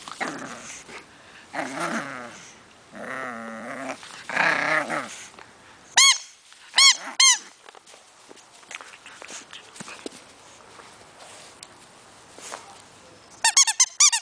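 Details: Pug puppy tugging on a rope: low growling bursts early on, then sharp high squeaks in quick runs of two or three, and a rapid squeaky series at the end.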